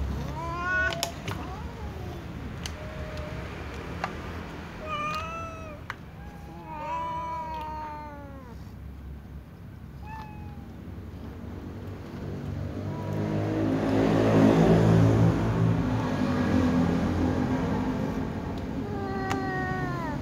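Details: Ginger domestic cat meowing furiously among other cats while waiting to be fed: rapid series of short, rising-then-falling meows over the first ten seconds, a loud low rumble mid-way, then a final meow near the end.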